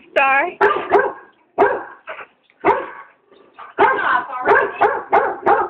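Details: A frightened German Shorthaired Pointer, afraid of a giant squirrel balloon, lets out a rapid series of high whining yelps and sharp barks, about a dozen bursts in under six seconds, clustered in uneven runs.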